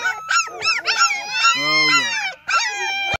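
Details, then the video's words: Litter of nine German Shepherd puppies, sired by Pretty Boy out of Trouble, in a loud continuous chorus of overlapping high whines and squeals, one longer sustained cry running through the middle, then a short break before more whimpering. "German shepherd Pups"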